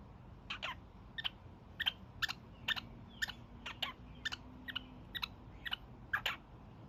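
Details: Evening honks from a young male pet kakariki: a steady string of clipped, scratchy calls, about two each second, with a faint electrical hum beneath.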